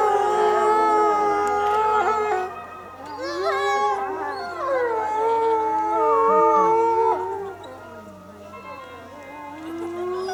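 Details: Zoo wolves at Asahiyama, Japan, answer the afternoon closing announcement with a chorus of howls; overlapping mournful glides swell and fade, dipping quieter near the end, with a low steady hum beneath.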